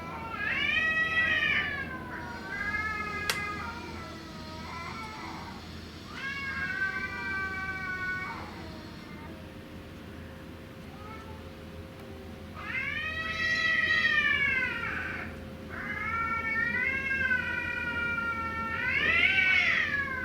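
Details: Cats in a fight trading yowls, the cries turning pitiful as the quarrel goes on; long wavering wails in bursts, loud at the start and again near the end, with quieter drawn-out moans between and a steady hum underneath.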